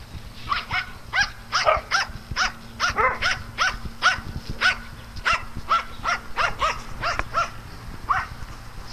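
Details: Dogs at playtime on a farm that also keeps cats, giving a run of short, sharp, harmonic barks that come irregularly, several close together and then spaced out, over a low steady hum.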